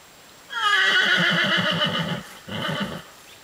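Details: A horse throwing a temper tantrum over a small cross-country training ditch-jump while ridden gives a long shaking whinny, a quavering neigh lasting nearly two seconds, followed by a shorter second whinny.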